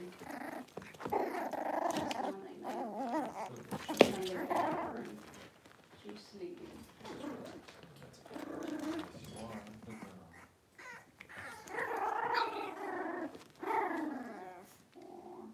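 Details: Six-week-old Cavalier King Charles Spaniel puppies in a puppy pen, being dewormed and having toenails trimmed; wavering, whiny mid-pitched cries and low growls come in bursts with pauses, with quiet voices in a small room.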